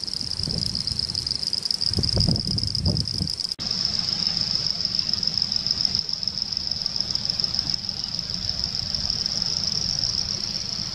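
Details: Laguna Garzón, Maldonado, Uruguay, December 2019: Pseudopaludicola falcipes and Elachistocleis bicolor produce a sustained high-pitched buzzing chorus; rumbling wind bursts in the first four seconds, then a steadier, quieter background.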